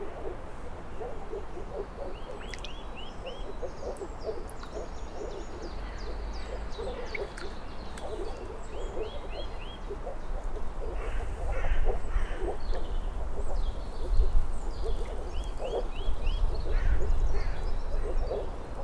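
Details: Moor frogs (Rana arvalis) calling in a dense chorus: many soft, low, hollow pulses overlap continuously. Short rising bird calls repeat above in small series, over a steady low rumble.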